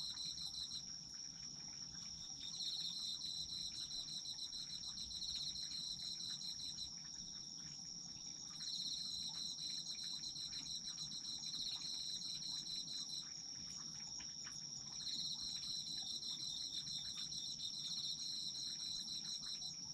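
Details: Autumn insects in a sleep-aid nature recording: a steady high trill near the top of the range overlaid by a pulsed, chirping band that starts and stops in bursts of several seconds, with a soft low rumble beneath.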